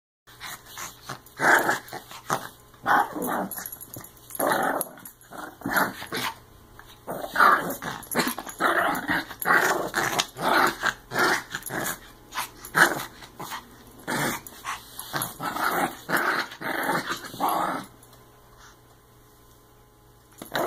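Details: Pomeranian dog growling while playfully attacking a person's foot indoors; rough, throaty growls in short bursts, repeated about every half second to second in rapid runs, then quieting near the end.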